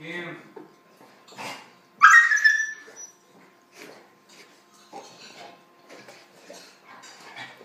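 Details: Puppy and big dog at play: brief faint grunts, then a loud high-pitched yelp lasting about a second, followed by soft scuffling, panting and light rustling noises.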